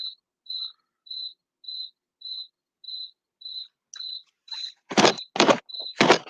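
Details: Crickets chirp steadily outside a window in a remote rural spot, many of them at once, in short high pure-toned pulses repeated about twice a second.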